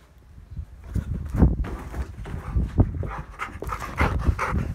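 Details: A Labrador Retriever panting in quick, breathy bursts during a crash landing, mixed with dull thuds and rustling.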